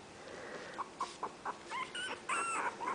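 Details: Five 20-day-old puppies of Itsy Bitsy waiting for their mother to feed them indoors; a run of short high squeaks and yips roughly every quarter second, then longer overlapping whining cries.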